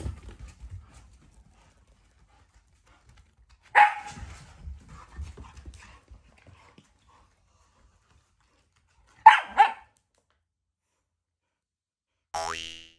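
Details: Shiba Inu, not angry but affectionate, vocalizing while it tries to get the Labrador's item; two brief harsh bursts about five seconds apart in near silence, with faint shuffling sounds and a short noise at the end.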